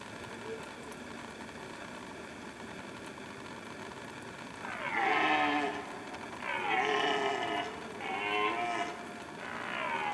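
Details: Roaring red stag in rut season, starting after a faint distant call; from midway, three or four loud, rasping harmonic bellows follow each other closely over a constant background hum.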